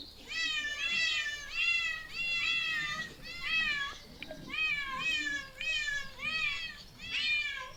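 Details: Persistent high meows from a cat, each one curving down in pitch, coming in quick groups with a short break near the middle. The setting is otherwise quiet.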